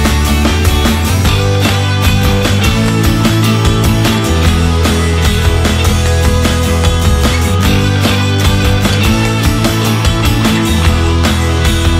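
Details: Loud rock music with distorted guitars and heavy drums plays continuously, and no animal sound comes through.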